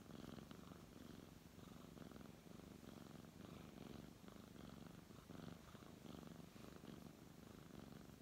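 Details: Indoors, a brown tabby cat purrs while someone strokes it: a deep, even, throbbing purr that rises and falls gently with each breath, with slight fur-rubbing noise.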